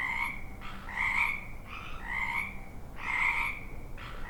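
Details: Chorus of frogs, loud pulsed croaks in bursts about every half second to second, overlapping callers with ringing upper tones and a steady low hiss beneath.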